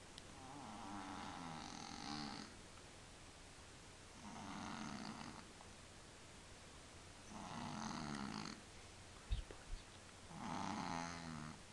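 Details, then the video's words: Willy, a pet tomcat with sinus problems, snoring steadily: four rough, buzzy, rattling breaths spaced about three seconds apart, each around a second long, with one brief click near the end and a low background hum. "Kater schnarcht"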